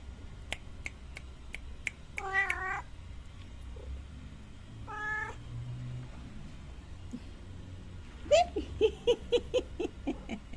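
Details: Mother cat with her three kittens in a yard while being fed milk, rubbing against the feeder's legs; sharp clicks open, then two clear harmonic meows, followed by a quick run of short high mews near the end.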